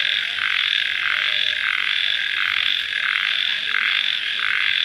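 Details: Just after rain at night, crickets keep up a continuous high ringing chorus, pulsing at a quick regular beat of about one swell per 0.7 seconds.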